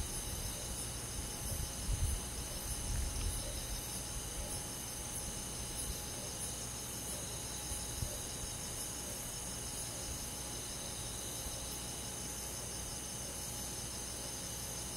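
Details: Crickets and other insects on a summer night in a rural forest, a steady high-pitched shimmering chorus of continuous trills with no clear pauses, over low rumbling background noise with a few louder thumps early on.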